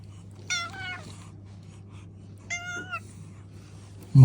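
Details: Domestic cat greeting its owner on arriving home, excited: two clear, steady meows about two seconds apart, each under half a second, over a low steady hum, ending with a sudden thump.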